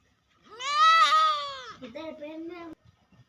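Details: Domestic cat giving one long, arched, harmonic meow lasting about a second, followed by a lower, wavering tail and brief quiet.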